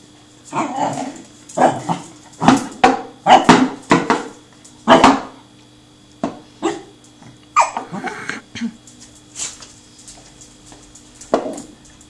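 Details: Seven-month-old Pembroke Welsh Corgi Truffle, a friendly male, playing with a rolling tin can, lets out a tight run of rapid, yappy barks over the first five seconds, then scattered single barks with brief clattering noises.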